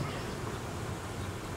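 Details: Honey bees of a colony being reorganised after producing royal jelly and queen cells, as cold weather sets in; a low, steady droning hum with a rough, grainy texture throughout.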